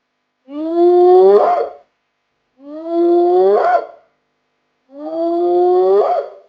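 A hyena gives three rising, whooping calls, each over a second long, spaced about two seconds apart, with silence between.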